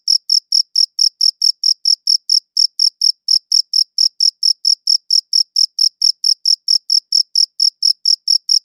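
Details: Crickets chirping: high, clicky trill-like pulses repeating steadily at around four per second, with one tiny gap and a silent background.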